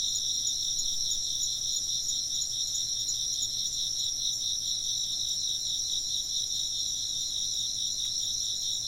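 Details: Insect voices in a Japanese environmental sound recording: an unbroken high, bright, fast-pulsing chirping drone in several layers, nearly all energy high-pitched, very little low noise.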